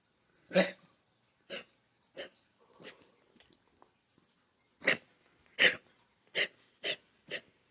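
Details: Pet dog wearing a muzzle, having a sudden anxiety attack that sounds like gagging without bringing anything up: a string of short, harsh, noisy retching bursts, roughly one every second, with a quiet gap midway.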